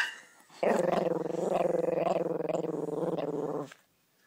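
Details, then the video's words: Chihuahua named Bear giving a sustained low growl lasting about three seconds, a steady rumbling with rapid pulsing texture, starting abruptly and stopping cleanly, little else audible around it. "Small dog big growl"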